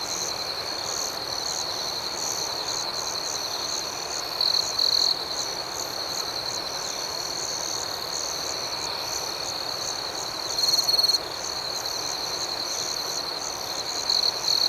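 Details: Crickets chirping outdoors at night: a steady high, shimmering chorus, with a louder, sharper trill from one nearby cricket rising out of it three times, around the fifth, eleventh and fourteenth seconds.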